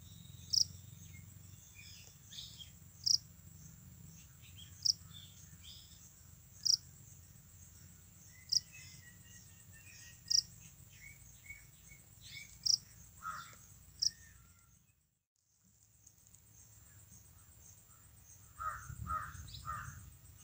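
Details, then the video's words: Japanese burrowing cricket (Velarifictorus micado) giving sharp, high chirps repeated roughly every two seconds over a steady high hiss. Faint bird-like notes and low rumbling sit in the background, with a short silent break partway through. "Sweet call of Japanese burrowing cricket (Velarifictorus micado)"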